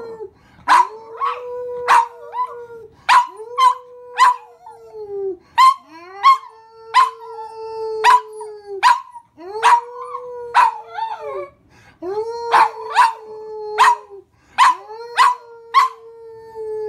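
A dog gives long, steady mid-pitched howls that dip and bend at the ends, over sharp rhythmic beats.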